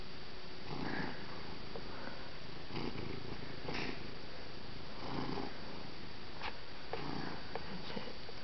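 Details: Neighbour's pet cat squeezed playfully like a bagpipe: rhythmic low purring swells recur every second or so, mixed with soft clicks, sniffing and faint handling noises.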